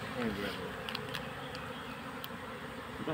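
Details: Honey bees during the capture of a colony into a hive box: a continuous droning buzz with a brief human voice near the start and a few faint clicks.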